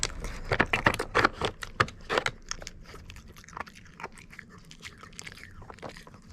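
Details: Treat-chewing by the Mameshiba Kon while working a puzzle toy in training. A fast run of loud crunchy bites opens the stretch, then the chewing softens into faint, sparse clicks and scrapes.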